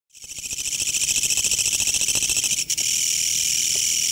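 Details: A green Japanese bush cricket (kutsuwamushi) calls around a house late into the night: a loud, harsh, rattling song of rapid pulses merging into a steady buzz.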